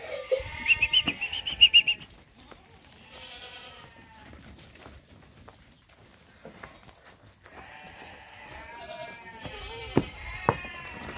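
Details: Boer goats on a northeastern Brazilian farm, 2018: a high, strained bleat opens, a lower quavering bleat follows, then after a pause a long drawn-out bleat overlapped by further calls and a couple of sharp knocks.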